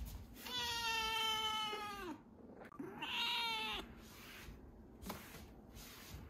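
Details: Two drawn-out cries from Chirol, a rescued kitten on day ten of its growth record, the first long and steady, the second shorter and brighter, each ending in a downward slide; quiet room sounds after.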